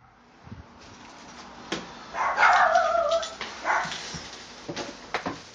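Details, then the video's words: Two pet dogs indoors, a Toy Poodle × Pomeranian mix and a Chihuahua, waiting behind the door to welcome their owner home; a high, drawn-out whine that wavers for about a second, with short yips and scuffling before and after. "わんちゃん２匹のお出迎え ミックス犬とチワワ"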